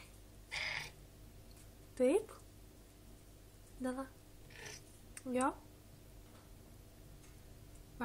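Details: A talkative female Maine Coon cat (Felis catus), recovering from pneumonia, gives short, rising meows while a person murmurs softly nearby.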